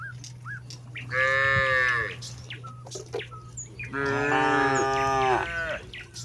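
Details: Grazing cattle in a vast paddy field, one cow calling companions home as dark approaches: two long, bright, strongly harmonic moos about three seconds apart, against a steady low hum and scattered bird chirps.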